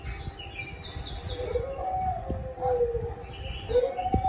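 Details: Howling from a pet dog: drawn-out, smooth tones sliding up then down, repeated a few times, with light bird chirps high above and a constant low background hum.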